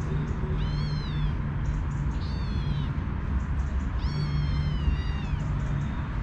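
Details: Kitten, a young stray female, asking her mother for milk: three high, drawn-out meows that rise and then fall, over a steady low rumbling background.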